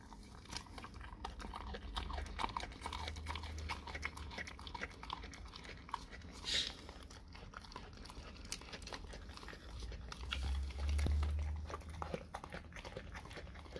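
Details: A dog eating raw cow tongue: wet crunching and biting clicks in quick, uneven succession, roughly three per second, over a low steady hum, with a brief louder rustling burst partway through.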